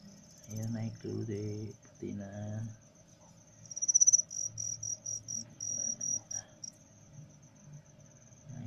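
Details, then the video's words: Male crickets placed with a female so they will start singing: after brief speech, a high trill breaks into a run of loud, evenly spaced pulsed chirps, then settles back to a soft steady tone. "cara melatih jangkrik supaya cepat berbunyi"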